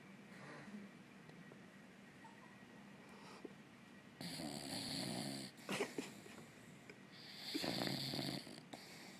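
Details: Elway, a dog also called Dolce, asleep on the couch and snoring: soft, breathy rasps at first, then louder hissing snores in uneven bursts around the middle and near the end of a quiet indoor room.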